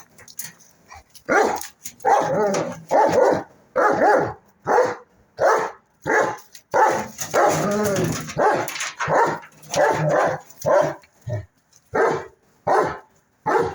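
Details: German Shepherd barking in a series of loud, deep, sharp barks, roughly one every second, a few run together into a rougher burst midway, with short gaps between.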